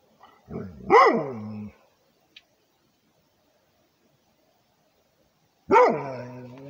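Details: Rhodesian Ridgeback guarding its territory, giving two loud barks: the first a drawn-out bark with a howling tail at the start, the second a sharp bark near the end after a long quiet gap.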